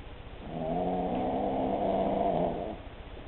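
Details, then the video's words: A sleeping Cavalier King Charles Spaniel named Empress gives a single drawn-out snore of about two seconds, a rattly, humming drone with a steady low tone that tapers off at the end. "Empress snoring"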